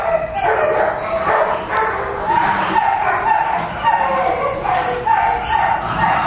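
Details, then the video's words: Ailing Pomeranian gives a steady stream of thin, nasal whines and short yelping cries, rising and falling in pitch and repeating roughly twice a second for the whole stretch. "One Sick Pomeranian Dog"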